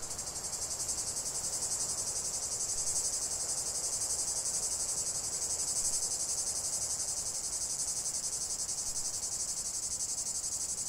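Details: A continuous wall of cicada song: an intense, high-pitched rasping hum with gentle swells in loudness and a fast underlying pulse, steady from start to finish.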